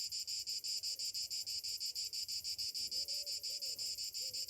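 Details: Cicadas on a summer morning: a loud, high, buzzing drone pulsing about four to five times a second, with faint low whistled tones beneath near the end.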